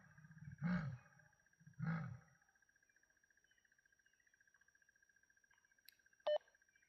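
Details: Leopard on foot in Kruger giving its rasping call: two deep, coarse sawing grunts about a second apart, then quiet with a faint ticking hum and one short electronic beep.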